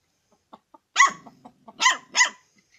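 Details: Barking from a dog that wants chicken to eat: three loud, hoarse barks, the last two close together, with faint clicking sounds before and between them.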